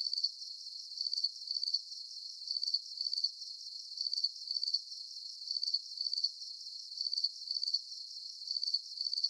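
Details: Crickets chirping at night under a full moon: high, thin pulsed trills in short bursts, often in pairs, repeating steadily about once a second with no other sounds.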